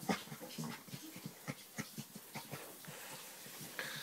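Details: Chocolate Labrador Retriever, indoors, making weird noises while being scratched on the back: quick whimpering, breathy grunts repeated about four times a second, ending in a brief higher whine.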